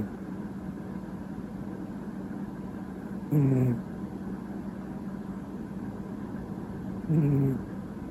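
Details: Snoring pet cat Mochizo, loud as an old man: two short, low, gravelly snores nearly four seconds apart, softer here, with a steady droning hum throughout.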